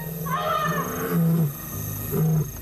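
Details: An African lion roars at night, deep, low, rumbling bursts that swell and break off, with a softer, higher tone early on, heard as the sound that frightens a young lesser galago in its new territory.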